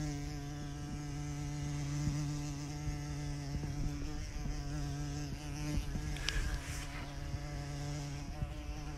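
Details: A bumblebee heard up close, nature setting: a steady, low droning hum with rich overtones held unbroken for the whole stretch, a few faint clicks and slight wavering in pitch, a sharper brief noise near six seconds.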